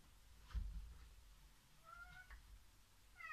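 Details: Two pet cats play indoors after forcing open a heavy door, one hiding and waiting to pounce on the other; faint short tonal meows near the end, with soft low thumps and scuffling from the play.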